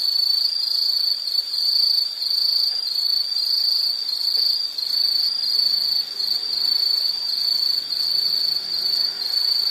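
A dense, continuous high-pitched insect trill, pulsing slightly in strength, fills the whole recording.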